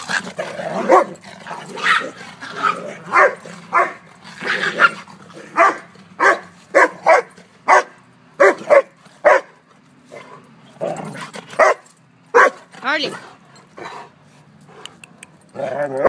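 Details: Old English Sheepdog at play with a poodle, letting out a quick run of sharp barks and yips, some in close pairs, with growls and scuffling between the bursts.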